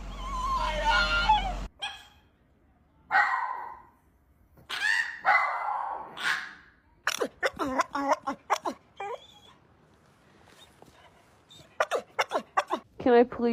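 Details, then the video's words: Pet dog coaxed by its owner to "say a woo" answers with a run of short, wavering, whiny vocal bursts, mixed with the owner's talking and a brief stretch of music at the start. "strange sound from dog"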